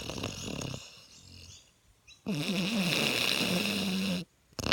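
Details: Five-month-old male French Mastiff puppy sleeping after a big day of swimming and camping: soft breathy noise, then a two-second rough, low buzzing snore with a wavering pitch, ending abruptly.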